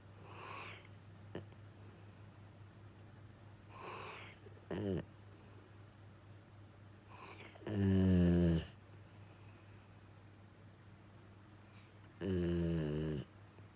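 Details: Jiji, a male rescue Labrador-Schnauzer mix, sound asleep and snoring indoors: loud, rasping, throaty snores near eight and twelve and a half seconds, a shorter snort around five, softer breaths in between, over a steady low hum.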